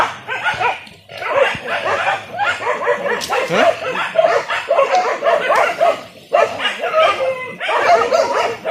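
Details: Several village dogs hunting wild boar in traditional Indonesian style with spears: a thick, unbroken chorus of high, excited yelping barks and whines, broken by a few brief pauses.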